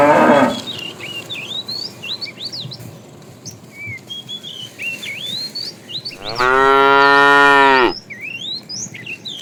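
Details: A herd of tame cows driven each morning toward green grassy fields; one loud, drawn-out moo lasting nearly two seconds rises over many small birds chirping and twittering throughout.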